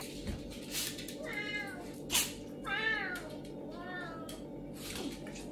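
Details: A serval gives drawn-out, wavering, meow-like calls during a squabble with a pinscher dog, with a few sharp knocks or yaps between them.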